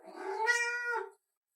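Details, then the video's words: Orange domestic cat, male, 'talking' to his owner indoors: one loud drawn-out meow, rising then level and falling off after about a second, with a faint squeak at the start. "My Cat Won't Stop Talking"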